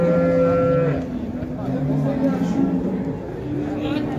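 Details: At the Şarkışla livestock market, a water buffalo with its calf gives a steady, tonal moo lasting about a second, followed by lower, fainter bellows beneath crowd murmur and music.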